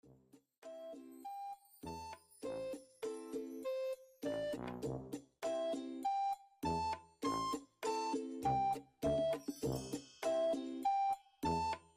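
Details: Bright keyboard music plays in short chords and single notes with chime-like tinkles and no animal voice.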